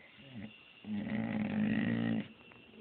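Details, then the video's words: Pet dog Lilly talking back in a low, throaty groan lasting over a second, buzzy and steady, framed by brief quiet and a person's casual remarks in a small room. "My dog Lilly storm talking"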